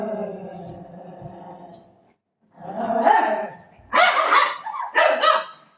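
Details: Golden Retriever named Buzo reacting at home after being told it would be left behind: a drawn-out harmonic whine of about two seconds, then three loud, rough, grumbling bark-like bursts, with a woman's voice nearby.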